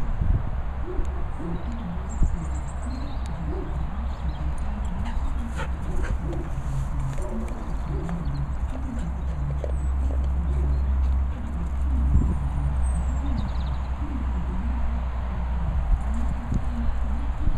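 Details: Border Collie named Cassie, unable to decide which toy to choose, giving low wavering grumbles and whine-like moans that rise and fall in short repeated bursts over a steady low rumble.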